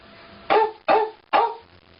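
A dog gives three quick, mid-pitched barks, each short and harsh-edged, spaced under half a second apart, with only faint background hiss between them.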